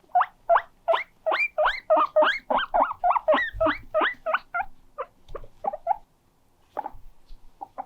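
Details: Pet guinea pig calling loudly with a 'kyupi kyupi' sound while moving about. It gives a fast series of rising, whistled squeaks, about three per second. The squeaks slow and soften toward the end, with light thumps underneath.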